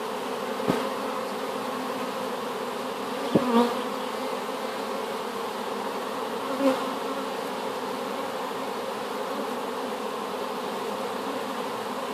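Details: Recently hived swarm of honey bees collected from an apple tree, a steady low drone punctuated by three sharp clicks or taps spaced a few seconds apart.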